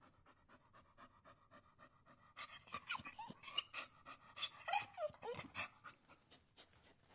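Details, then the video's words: [1, 'A dog whines with thin, high, wavering whimpers that slide up and down, mixed with fast rhythmic panting breaths that run steadily from the start and grow louder midway.'] "Dog Whining"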